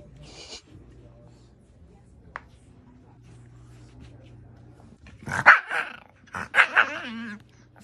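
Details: Several chihuahuas, upset at their human seemingly leaving home after shoes go on, break a long quiet stretch with a cluster of shrill yaps and a wavering whine near the end, over faint background hum.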